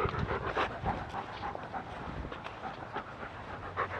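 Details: Rapid, steady panting from a German Shepherd enjoying a woodland walk, breaths coming roughly three to four per second over a low outdoor rumble.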